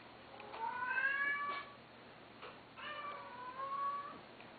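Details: Male Domestic Shorthair shelter cat, abandoned and awaiting adoption, recorded indoors on 12 September 2012: two long, wavering meows a second apart, each sliding slightly in pitch, over a quiet room hum.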